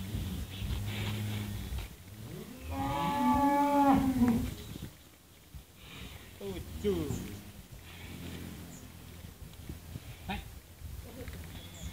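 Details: Cattle reacting while being weighed; a loud, long, low moo rising into a strained harmonic bellow for about two seconds, with lower rumbling moos before it, then clanking and background noise.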